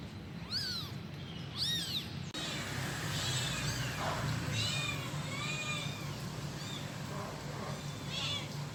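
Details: Kitten crying out for its mother, a rapid run of short, high-pitched arched meows, two sharp loud ones first, then many fainter quick mews repeating about four per second over constant low rumbling noise.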